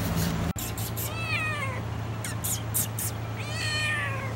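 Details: A mother cat at a cat meat shop in Vietnam gives loud, drawn-out meows, calling for friendly attention from a person.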